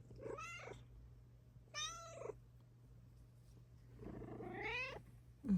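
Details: Morning meows from Luna, a Bengal cat, indoors near clothes on hangers; three clear, harmonic-rich meows, the last longest and rising, separated by quiet gaps with a constant background hum.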